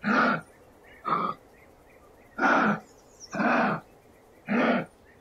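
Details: Wild Australian kangaroo producing rough, hoarse grunts, some short and some longer and drawn out, coming about once a second in an uneven rhythm, with faint high twittering behind.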